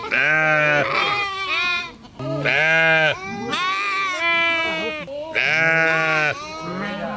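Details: Sheep calling in loud bleats with a low steady start, followed by trembling higher calls, repeated three times in quick succession with little pause.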